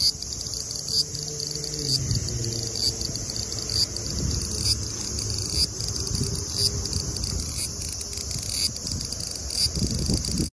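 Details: Large brown cicada (Graptopsaltria nigrofuscata) singing at 24 degrees (75 °F), a shrill continuous frying buzz, with low hums and rumbling beneath it.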